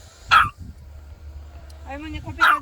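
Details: Excited dog on a visit to a family grave in Korea gives two sharp barks about two seconds apart, with a person's speech heard between them and low outdoor rumble beneath.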